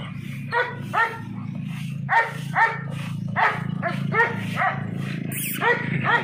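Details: American Bully dog barking in short, sharp bursts, about ten barks in quick pairs and runs, over a steady low droning hum throughout.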